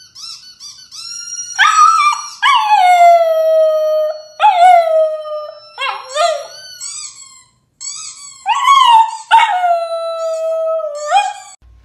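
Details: Chihuahua in a funny dog compilation giving a run of drawn-out, tonal howls that slide downward, each lasting about one to two seconds. Rich harmonics ring above the fundamental. Short yips come in between, with a brief gap near the middle.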